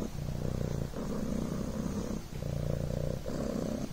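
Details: Deep, soft purr of the Devon Rex kitten Coco, a low rolled buzz rising and falling with breathing, one short pause midway.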